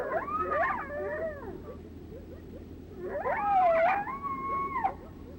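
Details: A group howl: several coyotes each give lone howls, their wavering, sliding voices overlapping in two bursts; it is thought to mean the same as a lone howl, and such coyotes are likely to approach.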